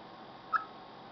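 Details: Chipmunk calling before bad weather: a single short, clear chirp near the middle, slightly falling in pitch, over a steady low hiss and no other animals.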